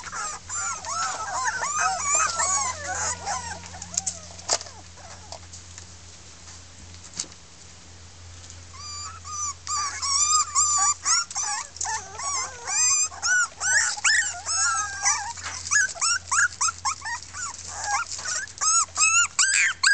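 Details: Chorus of six red female Miniature Pinscher puppies, a 2013 kennel litter, complaining after a taste of freedom: overlapping high, wavering whines and sharp yips, a softer lull midway, then dense rapid yelping.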